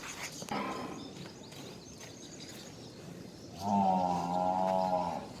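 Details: Nili-Ravi buffalo at a farm in Multan, Pakistan, gives a short harmonic call followed by a loud, steady, drawn-out bellow lasting about one and a half seconds. Low farmyard rumble sits underneath.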